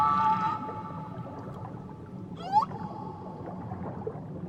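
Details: A whale gives long tonal moans that slide and swoop over a steady low rumble of water, recorded around Tahiti's beaches; whale.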